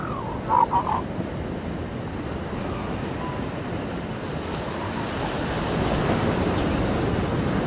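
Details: Brief wailing cries from seal pups on a beach come early, two or three quick harmonic notes, then only the continuous wash of surf and wind.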